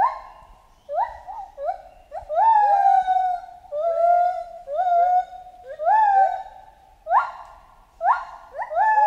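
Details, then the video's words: Chimpanzee in a jungle setting giving a run of rising hooted calls, each a short upward-swooping tonal note with rich overtones, repeated roughly every half second with a few louder peaks, over a faint low rumble. "Monkey Ape Sound Effect Chimp Jungle"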